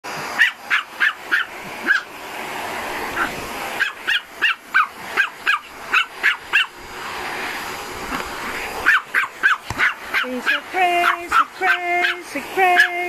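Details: Pomeranian and bull terrier reacting to a vacuum cleaner, barking in rapid sharp bursts several times a second over the vacuum's steady roar, with a person singing sustained notes near the end.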